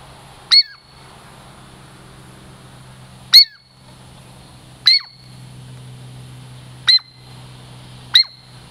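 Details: A Douglas squirrel called Girl Squirrel approaches for a treat in the Puget Sound lowlands; five loud, brief, high whistles falling steeply in pitch, at uneven intervals of one to three seconds, with a low steady hum beneath.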